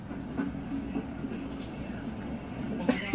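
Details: Rhythmic rumbling clatter like a passing train, with a faint voice and a sharp knock at the end, and no animal call.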